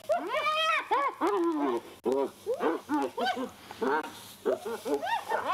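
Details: Two spotted hyenas fighting over a carcass scavenged from a leopard in a tree, Djuma Private Game Reserve, sunrise drive on 1 July 2021: rapid, overlapping arched squeals and giggling yelps, rising then falling, in quick bursts.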